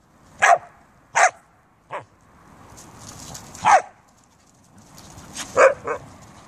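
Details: Siberian Huskies and a Samoyed kept as pets, recorded in beautiful weather; scattered single barks, two strong ones close together, a softer one, then further barks spaced a second or two apart over a quiet background.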